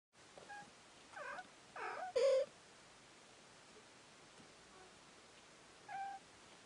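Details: Baby kitten yawning indoors; a few short, thin squeaky mews clustered near the start, the last one brief and flat, then quiet, with another faint mew a few seconds later.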